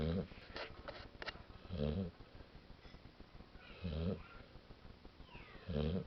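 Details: Female dog snoring while asleep, deep rasping breaths repeating about every two seconds in four even bursts, with a few light taps and soft indoor background between them.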